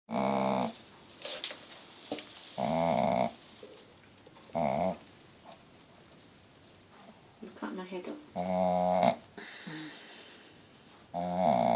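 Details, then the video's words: A contented Shih Tzu mother snores with her four five-day-old Mal-shi puppies. Loud, rough nasal snores come every two to three seconds, with quiet pauses between them, indoors in a small room. "Snoring mummy dog!"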